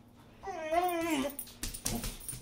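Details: A pet Boxer, indoors in a small room, gives one rising-then-falling whine that lasts under a second, followed by clattering and rustling noises, while still begging for food despite a big meal.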